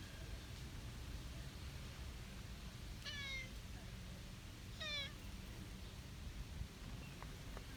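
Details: Young brown tabby stray cat in a park, approaching to greet people, meows twice about two seconds apart; each call is short, bright and slightly descending, with low outdoor rumble and a few faint clicks between them.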